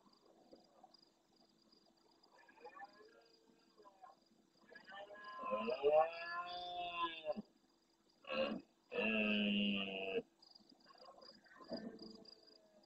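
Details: Large red deer stag roaring intensely at nightfall close to a live camera in the Doñana National Park marsh, El Rocío, Andalusia, Spain, answering distant stags: a long groaning harmonic roar, a short burst, then a loud steady bellow, over faint night background.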